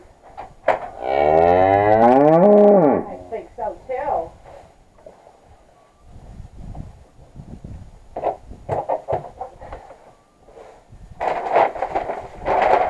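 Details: Belted Galloway cattle in a barn while it is being cleaned: a long, loud, rich harmonic moo lasting nearly two seconds near the start, followed by scattered softer noises, bumps and some human voice.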